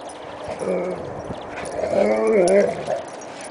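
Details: Alaskan Malamute, a pet dog at home, giving a whining, wavering vocalization with a rising and falling pitch, strongest near the end, over a faint background hum.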